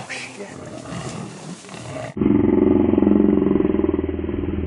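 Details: Lioness attacking a buffalo at Londolozi, Africa: after two seconds of muffled commotion, a loud, low, throbbing growl pulses rapidly and evenly, almost four beats a second, holding steady to the end.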